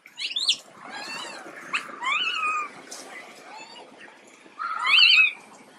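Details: Soft, fainter cries from the sick baby monkey Quinton: brief rising whimpers over a steady hiss, ending in one louder, sharply bent squeal near the close.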